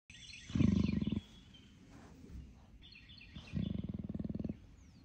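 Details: Captive female leopard at an animal park in North Carolina grumbling when happy instead of purring: two bursts of deep, rapidly pulsed rumbling, each under a second, separated by quiet, with small birds chirping high in the background.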